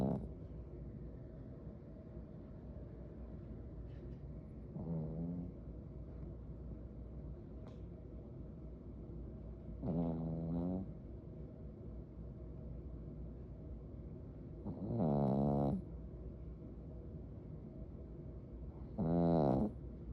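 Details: Pet dog asleep and snoring after a busy day: four low, rasping snores, each lasting about a second and coming roughly every five seconds, over a steady low indoor hum.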